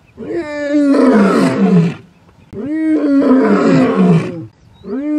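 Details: Young male lion of a coalition moving to take over its fathers' territory in Ol Kinyei Conservancy, Masai Mara; two long, loud, tonal roars of about two seconds each, separated by a short pause.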